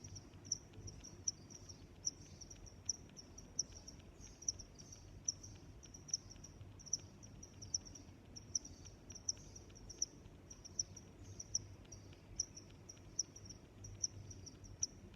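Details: Cricket chirping in a natural setting: short, high-pitched pulses repeated steadily, roughly every half to one second, with a fainter continuous trill between them over a low, quiet background hum.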